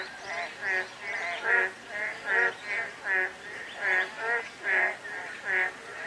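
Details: Croaking frogs in drizzle, many voices overlapping in rich, reedy bursts that repeat at a fairly steady pace, over a continuous hiss of light rain.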